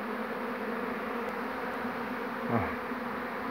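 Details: Swarming honey bees on 2 June 2019. The caught queen has been placed out and the bees are moving in to her. A thick, continuous low hum runs throughout, with one brief low thump midway.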